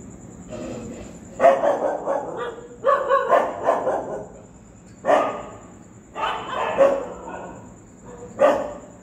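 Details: Street dogs barking in reaction to a ghost sound: harsh, hoarse barks in uneven bursts of two to four, about eight barks over nine seconds, with a faint steady high whine throughout.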